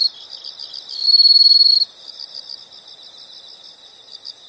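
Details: Insects calling in a steady, high-pitched pulsed chirping, with a louder, buzzing trill rising out of the chorus for under a second early on before the softer rhythmic pulses resume. No other sounds.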